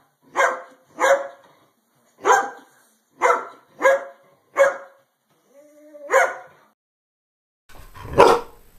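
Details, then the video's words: Greyhound barking: about eight sharp single barks spaced irregularly, one preceded by a soft whine, and a harsher, noisier bark at the end. "LATIDO DO CACHORRO GALGO🐕SOM DE CACHORROS🐕LATIDOS DE CACHORROS🐕 SOUND OF THE GREYHOUND DOG BARKING"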